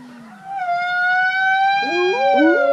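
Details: Captive gray wolves at Wolf Park, including Bicho and Kanti, join a group howl on July 8, 2017, prompted by a count of three while primed up on a log; long sustained harmonic howls with overlapping rising and falling voices entering near the end.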